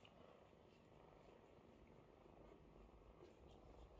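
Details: Continuous low, even purring from a mother cat tending her kittens, which wait in line to be washed and nursed; the rumble holds steady without breaks over a quiet indoor background.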